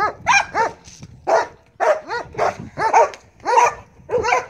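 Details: Marley, a Belgian Malinois, barks during bite work training: rapid, high-pitched harmonic barks and yelps come in uneven bursts, about nine sharp calls in four seconds, with brief quiet gaps between them.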